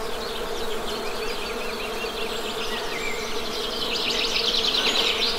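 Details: Continuous low, even drone of honey bees buzzing, unbroken from start to finish, overlaid by high, rapid bird chirps and twittering that grow denser toward the end.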